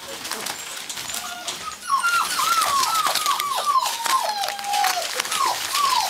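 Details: Gordon Setter from the Natolińskie Wzgórza kennel: after a quiet start, a rapid string of short, pitched whines, each dipping downward, repeats about twice a second over a rustling, noisy indoor background.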